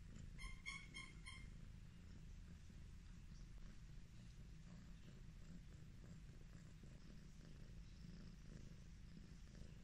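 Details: An affectionate Highland Lynx cat (Felis catus) purrs while being petted, a steady, deep, pulsing rumble that continues without a break.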